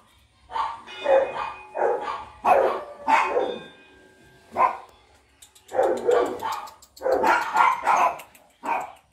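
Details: A Rottweiler puppy in Rampurhat, Birbhum, West Bengal barks in short, mid-pitched yaps, often in quick pairs or triplets. The bursts grow busier and louder toward the end, with a few higher yelps mixed in.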